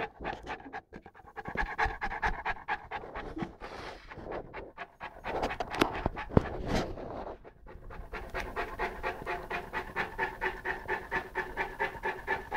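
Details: Eleven-month-old Saint Bernard Lara, at play with a pygmy rabbit, breathes in rapid rasping pants; the middle stretch turns rougher and uneven, then the last few seconds become a fast, regular panting beat.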